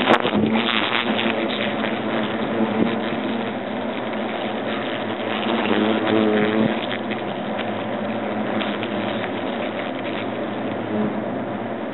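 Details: A steady, loud engine-like roar fills the whole stretch, a dense broadband rumble with scattered clicks and no animal voice standing out.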